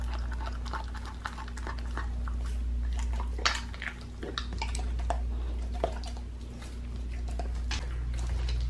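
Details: Raw-fed pit bull working on a raw lamb leg; scattered crunchy bites, a few louder cracks and wet smacking between quieter pauses, with a steady low hum behind.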